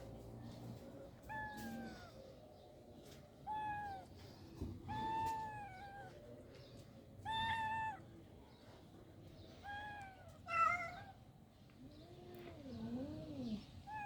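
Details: Cats in rural life meowing in short separate calls roughly every two seconds, each bending up then down, followed by softer low wavering mews near the end against faint background noise.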